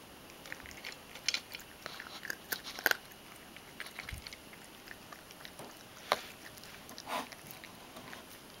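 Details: Ragdoll cat named Mojio eating dry kibble indoors, chewing it thoroughly: irregular crunchy bites and crackles scattered through the room, with a few louder crisp crunches near the middle and end.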